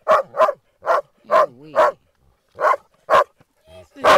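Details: Playing Groenendaels guarding a ball or bottle from each other give loud, irregular barks, about eight in four seconds, with a brief wavering low whine in the middle.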